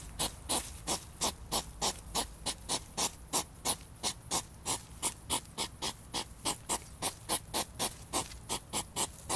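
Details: European hedgehogs during mating, a scuffle between the animals: rapid breathy huffing puffs, about three per second, steady and rhythmic through the whole stretch, with a faint low rumble beneath.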